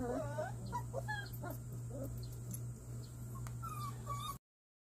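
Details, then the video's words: Simba, a one-month-old Jindo cross puppy among littermates around vaccination time, sleep-talking: short high whimpering yips and squeaks, some rising and falling, scattered irregularly over a steady low electrical hum. "강아지 심바ᆢ예방백신과 잠꼬대"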